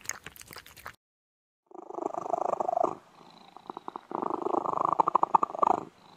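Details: Domestic cat purring in a realistic, relaxing sequence: rough, pulsing bursts of purr rising and falling in two long stretches, with a short gap of silence between them and a brief scratchy noise at the start.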